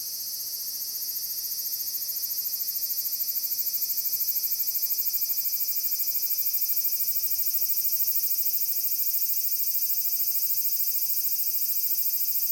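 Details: Large brown cicada chorus, recorded 30 July 2022 in Nishinoomote's Furuta Magarigawa on Tanegashima island, Japan: an unbroken shrill sizzle that builds gradually in loudness, with a fine, rapid pulsing throughout.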